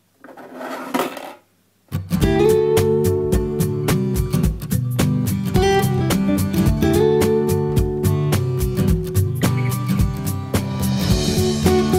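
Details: A short muffled burst, a moment of silence, then plucked and strummed guitar music that carries on to the end, with no animal heard.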